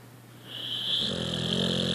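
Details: A sleeping puppy snoring, a content dog lying with its tongue touching the floor; a soft rising breath turns into a steady raspy, wheezy snore holding for about a second.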